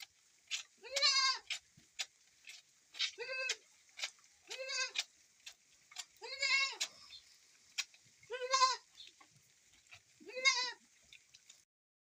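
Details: Goat calling while being milked in the rain; six or seven quavering, harmonic bleats every one to two seconds, some softer and shorter, with a constant faint hiss behind them.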